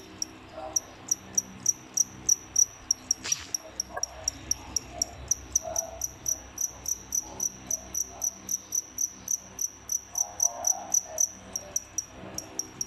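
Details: Captive pair of crickets, bought in bulk as feeder insects and kept indoors after pairing up, giving fast, high, shrill chirps repeated several times a second in a steady run, with faint lower whimpering sounds in the background.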